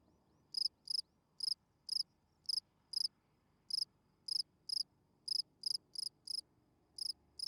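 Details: Spring field cricket chirping at night, a calling song meant to draw females: sharp high pulsed chirps, about two per second, steady and evenly spaced over a faint low background hum.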